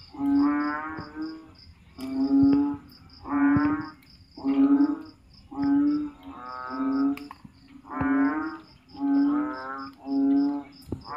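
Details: At night in the Philippine rainy season, after heavy rain fills backyard ditches and swales, a frog gives loud, moaning, cow-like calls roughly every second, each swelling and fading, over a steady series of high, regular insect chirps.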